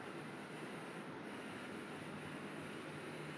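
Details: Steady broadband hiss and rumble fill the recording, with no voices or animal calls.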